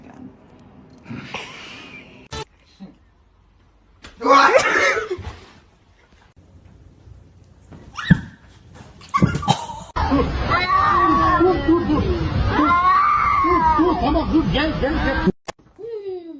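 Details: Cats fighting indoors: a drawn-out stretch of loud, wavering, harmonic yowls lasting about five seconds, with pitch bending up and down, preceded by scattered short bursts, a sneeze-like puff and brief snatches of noise.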